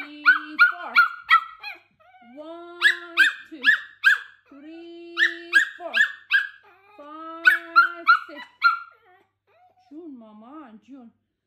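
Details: Cookie the Pomeranian, unsettled by his owner exercising at home, lets out fast bursts of yappy high-pitched barks in clusters of three to five, broken by short pauses, ending in a wavering whiny howl.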